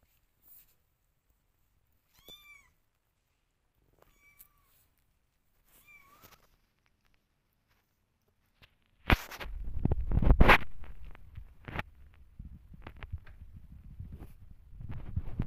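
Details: Kittens slipping and sliding while walking on a wet, flooded floor; three short, high, bending meows spaced about two seconds apart, then loud splashing, scuffling and thumping noise takes over.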